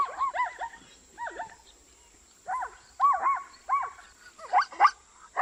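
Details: Neighing zebra from Africa: paired and tripled barking yelps with a clear wavering tone, given in bouts about a second apart, growing louder and sharper toward the end, with a steady faint high whine behind.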